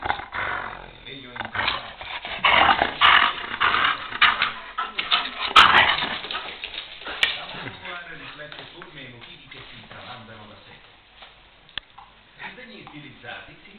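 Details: Bored female German shepherd indoors after a rainy day, wanting to play: rough growls and short yelping barks in irregular bursts, loudest over the first seven seconds and then fading, mixed with steady human talking.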